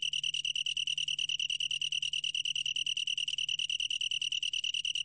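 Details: Long-tailed tree cricket singing a continuous high trill, rapid even pulses with a clear tone and fainter higher overtones, steady throughout with no break, a faint low hum underneath.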